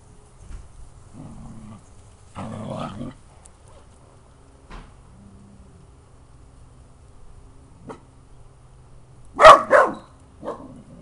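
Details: Seven-month-old puppy Misty, a dachshund, beagle and terrier cross, at play in the backyard, gives soft whines and short grumbling sounds, then a burst of two loud barks near the end and a final quieter yip.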